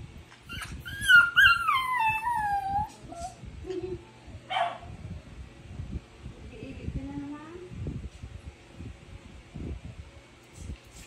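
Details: Female Miniature Pinscher left out and not walked, whining until the others arrived; a long descending whimpering whine near the start, a sharp yip, then softer rising whines and thumping movement noises.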